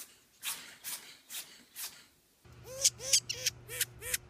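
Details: Pet ferrets at play in a funny compilation: a run of soft broadband clicks, then quick, small arched chirps repeated about every third of a second over a low steady hum.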